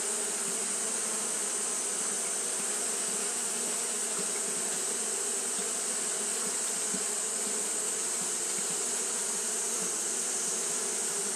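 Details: Steady hum from Japanese honey bees fanning through a hot day, a thick, even drone with faint flickering bursts in the low hum and a continuous bright hiss above.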